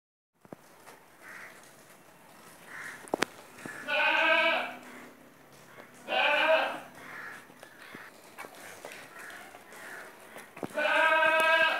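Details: Heavy Beetal goat from Punjab, a castrated male, giving three loud, harmonic, wavering bleats about three seconds apart, with quieter bleats and clicks between.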